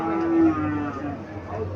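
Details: A cow (gabhi) at Chandimura cattle market in Cumilla, Bangladesh, gives a short low moo that swells and fades within a second, under background music and market noise.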